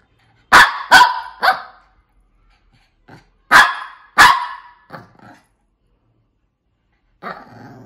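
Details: Shih Tzu barks three times in fast succession, then a soft yap, two more loud barks and fainter trailing yips, ending with a rough, low rasping sound.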